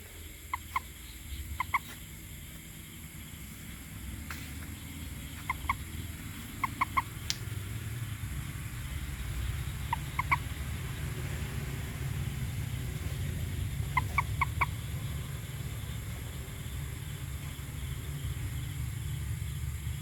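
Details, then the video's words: Toad calling in small clusters of two to three short, bright notes, repeated at irregular intervals over a loud, rumbling low background noise. "Toad the best Sound"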